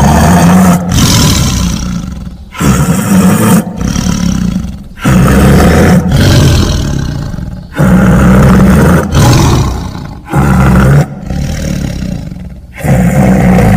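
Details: Tiger with deep, heavy roars repeated in pulses about every one to two seconds. Each roar is a throaty, rasping burst over a strong low rumble, separated by short sharp gaps.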